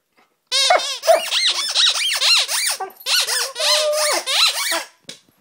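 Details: A singing Siberian Husky, recorded on 17 January 2011, pours out a fast run of squeaky, yodeling notes that bounce rapidly up and down in pitch for about four seconds before stopping abruptly.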